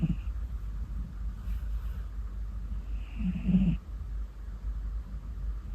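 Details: Domestic orange tabby cat sleeping deeply indoors, snoring softly; low rumbling breaths with a louder snore near the middle, steady low background hum throughout.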